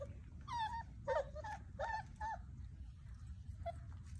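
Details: Playing Basset Hound puppies let out a few sharp, wavering squeals and whimpers in short clusters, then fall mostly quiet apart from a steady low hum.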